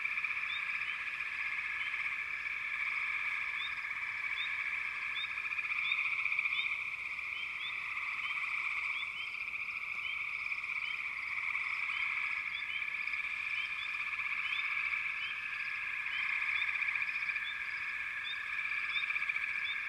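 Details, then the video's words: Sustained frog chorus lasting twenty seconds, a dense trilling wall with many rapid rising chirps, roughly four per second, scattered over it, gently waxing and waning. "Frogs - Nature Sounds"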